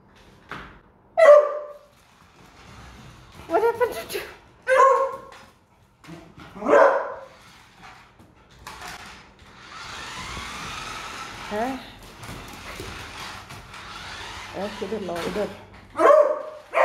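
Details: Young beagle puppy named Doodle meeting a remote control car for the first time, scared by it indoors: sharp barks and yips in bursts, some rising whines, with a person talking between them.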